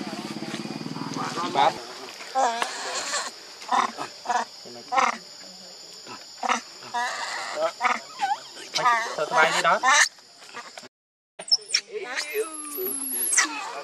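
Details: An injured baby monkey cries, begging its mother for milk. It gives repeated high, arching, wavering squeals and screams in bursts, with people talking nearby and a steady high electronic tone in the background.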